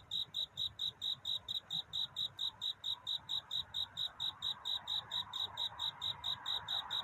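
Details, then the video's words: High, metronomic chirping of a cricket singing for love at night before dawn, quick evenly spaced pulses, with a soft hiss building in the background toward the end. "귀뚜라미 울음소리. 슬퍼 말아요 우는 것이 아니라 사랑을 찾는 노래랍니다 구애의 밤"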